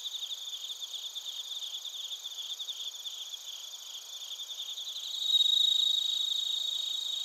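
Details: Bell crickets and crickets calling in Narita, Chiba, Japan, TASCAM Portacapture X8 recording: rapid regular pulsed chirps forming a continuous high ringing chorus, with one louder, purer ringing trill swelling in near the end.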